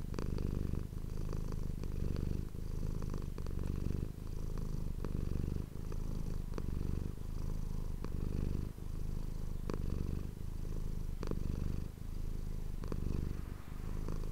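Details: Close-miked domestic cat purring indoors for ASMR, a continuous deep throbbing rumble that swells and fades in breaths roughly every second or two, with light ticks and rustles on top.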